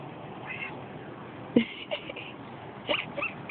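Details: A male cat makes short, quacking, nasal bursts of sound when his ears are rubbed, between a person's quiet coaxing words.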